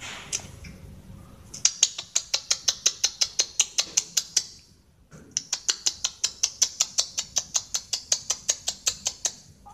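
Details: Cat eating food, one of two cats that climbed fast for it: crisp, rhythmic crunching chews, about two or three a second, in two long runs split by a short pause, over a quiet indoor background.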